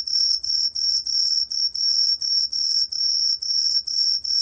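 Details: Korean green tree cricket, 2020 National Institute of Biological Resources recording: longer, clear high-pitched chirps, each under half a second, following one another closely with brief gaps, about ten in four seconds.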